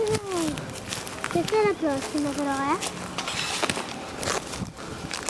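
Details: Thirty-day-old Vizsla puppies from a litter of Kalì and Fiuto, heard in a series of short, high, whining cries that slide downward and then sweep upward, overlapping with human voices and footsteps outdoors.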